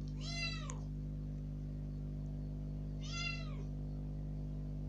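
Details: Rescued kitten kept as an indoor cat, out of its cage for the first time, repeats a loud plaintive meow to be let out; two arching meows about three seconds apart over a continuous low hum.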